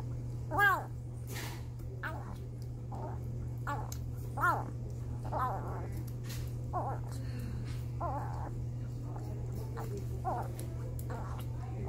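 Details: Jimothy, a foster kitten from a shelter once rescued from a car engine, calls out about his delectable paste with a run of tiny arching meows, roughly one per second, against a constant low electrical hum.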